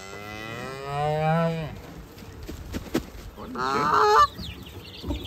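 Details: Cow mooing on a farm: one long low harmonic moo lasting about a second and a half, followed by scattered clatter and a brief higher honking call near the end.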